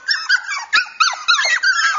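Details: Cockapoo puppies, brother Champ and chocolate sable sister Sable, kept indoors and wanting to be held; high squeaky whines and short yips come in rising-and-falling bursts about every quarter second, with a few soft knocks.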